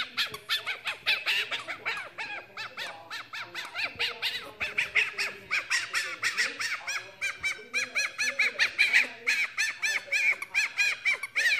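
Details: Fennec fox named Lucy reacting happily to being tickled with belly scratches: rapid, continuous squeaky honking chirps, several each second, rising in intensity toward the end and sounding like laughter.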